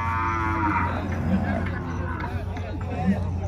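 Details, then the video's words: Bull loose at a cattle fair, a deep drawn-out lowing with harmonic stacks, set against steady background music and crowd noise. "boi valente solto na feira do gado"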